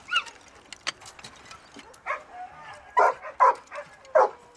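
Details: Ektoras, a one-year-old Labrador Retriever in search and rescue training at a Thessaloniki dog training centre, working in open field and ruins; scattered, irregular barks, a few louder ones near the end, among faint clicks and background sounds.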